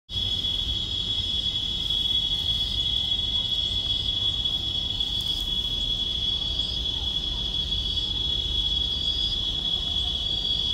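Cicadas drone in a steady, high, shrill buzz that holds unbroken at one pitch throughout.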